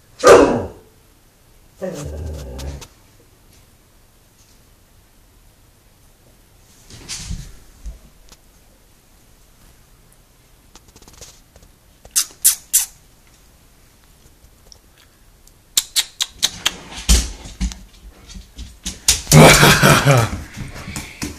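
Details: Siberian Husky scared of coming around a corner inside a small room; scattered quiet sounds give way to a burst of rapid, irregular, harsh barks and yelps near the end, with a brief human voice.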